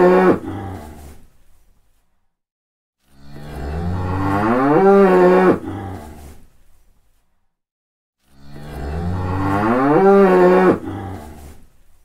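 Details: Repeated cow mooing: two long, deep moos about five seconds apart, each rising in pitch before ending abruptly, separated by silence. The fading end of a previous moo is heard at the start.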